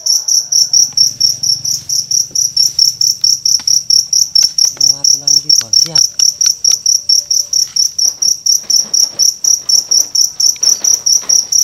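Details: Cricket singing at night in Indonesia during a torchlit cricket hunt. Loud, high chirps repeat steadily, a little over twice a second, for the whole stretch, while men talk quietly and briefly in the middle.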